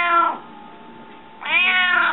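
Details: Indoor pet cat, said to be very hungry, gives two strong, insistent meows about a second apart, each bright and wavering, with a steady faint hum in the room between them.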